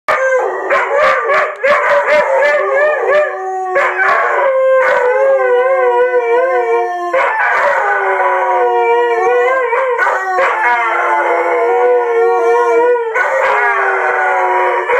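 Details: Two Brittanys howling together, long wavering tones sliding up and down, overlapping voices with brief pauses near four and seven seconds, loud and sustained throughout.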